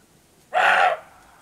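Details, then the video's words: A roebuck gives a single harsh, hoarse bark lasting about half a second, roe deer calling to each other before nightfall in the Rhodope Mountains, Bulgaria. "Roe Deer Barking/Сръндак лае"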